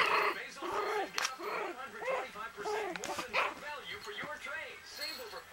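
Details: Yorkshire Terrier puppies, five and six weeks old, playing hard with each other; a busy stream of short arching yips and squeaky whines, overlapping constantly, with scuffling noises between.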